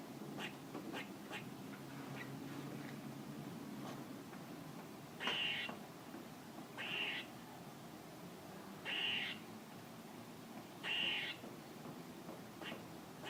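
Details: A squirrel repeats short, harsh, nasal bursts four times at irregular intervals of one to two seconds, each fairly high in pitch, amid soft clicking and low background rumble.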